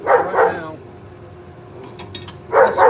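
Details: A female pet dog outside barks at squirrels in a live broadcast. A quick double bark opens the recording, a quiet gap of nearly two seconds follows, then another pair of loud, tonal barks.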